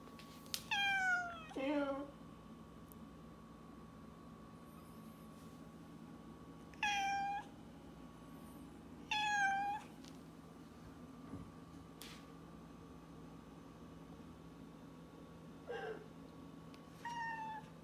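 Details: A domestic cat having a conversation indoors: several short harmonic meows, some rising then falling, in a loose exchange with long quiet pauses between them, a steady low hum underneath.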